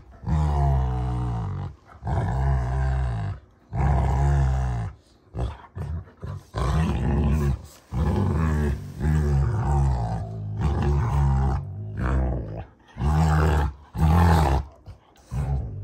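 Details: Play fight between two ranch Rottweilers, June and Kenai: a steady run of deep, throaty growls in bursts of one to two seconds, broken by brief pauses, continuing without letup.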